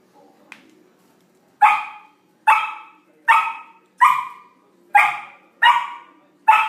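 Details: Young Samoyed, curious while playing with a new large ball, barks in a steady series of seven loud, short barks roughly one per second after a brief quiet start.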